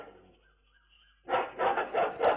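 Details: Dog (Canis familiaris), warning bark: after a quiet start, a quick run of loud, rough barks to defend its territory and warn of people approaching, then barking softens as it watches passers-by until it feels safe.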